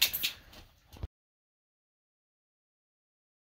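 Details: About a second of rustling, handling noise gives way to complete silence.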